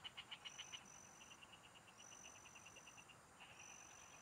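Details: Field frogs heard during a fishing trip give loud, evenly spaced clicking pulses that soften into a quicker trill, then another caller starts. Long, thin insect whistles sound intermittently overhead.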